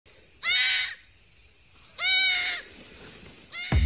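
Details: Mimi, a two-month-old goat kid and youngest of quadruplets, hand-raised on a farm in Muroto, Kochi, Japan, cries anxiously on grass while searching for her owner. Two loud, wavering, high bleats about 1.5 seconds apart, then a third begins with a thump.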